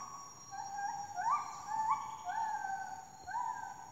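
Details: A monkey in Taman Negara, Malaysia, howls in loud, rising whoops, repeated about every second over a steady insect whine.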